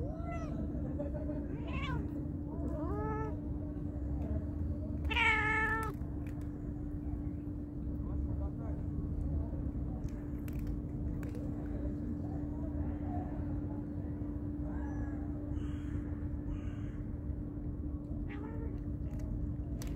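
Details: Kelly, a male cat and fish lover, makes funny noises while eating fish beside his calmer companion Sue: short harmonic meow-like calls, some rising then falling, scattered irregularly through the clip over a constant low hum.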